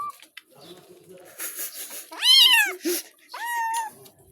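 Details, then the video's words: Cat protesting during a shampoo bath with a loud, wavering meow, then a second steadier meow about a second later. A person talks softly underneath, with water noise. "বিড়ালের গোসল করানো"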